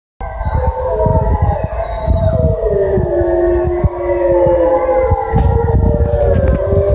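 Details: Wild gray wolf pack on a forest service road in British Columbia, Canada, spring 2020, answering human calls; several overlapping long wavering howls at different pitches, some sliding downward, over a steady low engine rumble.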